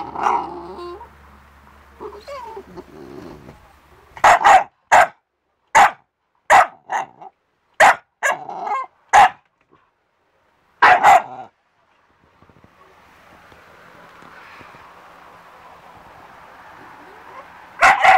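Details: English bulldog and Staffordshire terrier mix pit bull, 40-50 pounds, letting out a rapid run of loud, sharp barks with a brief growl, then a pause and a few more barks near the end.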